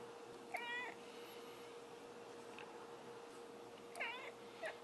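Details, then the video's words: A domestic cat gives two short, clear meows, one near the start and one toward the end. Each bends upward and then falls, over a steady low electrical hum in a quiet room. "Funny cats Cats Talking Like A Human"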